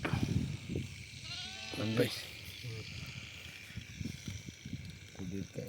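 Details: During treatment of sheep whose eyes have gone blind, one short tremulous bleat sounds near two seconds amid people talking close by and faint music.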